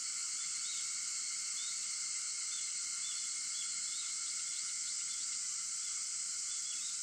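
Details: Cicadas sing at 4:50 in the morning on August 4, a dense, steady, hissing insect drone layered in bands across the high range, with faint short bird chirps scattered through it.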